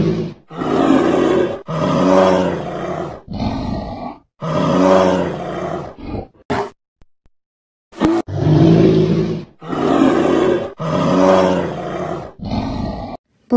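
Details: Bear roaring: deep, rough roars come in bursts of about one second, repeated roughly nine times, with a silent gap midway.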